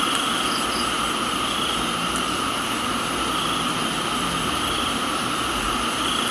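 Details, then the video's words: Cricket chorus recorded in a tropical garden in Thailand: continuous shrill trills held at fixed pitches with no pauses, blended with the broad steady hiss of rain. "Thailands Tropical Garden, Rain and Crickets"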